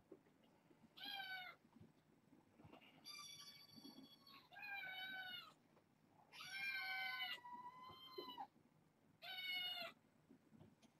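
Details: Foster kittens at bedtime, part of a litter of four females and two males born August 29th to a family pet. Loud, high, harmonic meows come in five separate calls about two seconds apart. Some are short and some drawn out, over a quiet indoor background.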